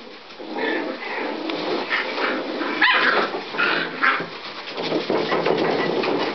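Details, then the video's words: Scottish Terrier puppies recorded 26 May 2009, giving a busy stream of short yips and whimpers that overlap through the whole stretch, some higher squeaky notes standing out near the middle. "scottish terrier"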